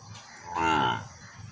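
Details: Calf calling while searching for its mother: one brief harmonic moo lasting under half a second, over a steady background rumble.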